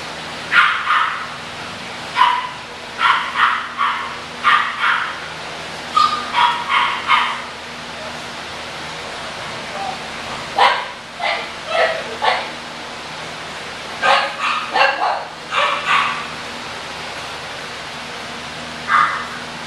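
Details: English bulldog puppies yapping in short, high, sharp bursts that come in quick runs of three or four, separated by brief pauses, over a faint steady low hum throughout.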